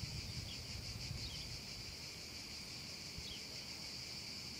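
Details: Cicadas singing on a hot summer afternoon over a meadow: a steady, dense, high-pitched shimmering drone with no breaks. A few short bird chirps slip in above a soft low rumble.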